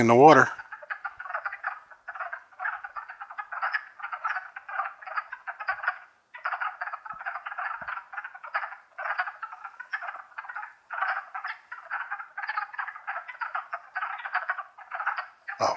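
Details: Wood frog chorus in the Longkill Woods in spring, April 2014: many overlapping clucking, croaking calls packed into a dense, continuous mid-pitched rattle that rarely pauses, with a brief sharp sound at the very start and end.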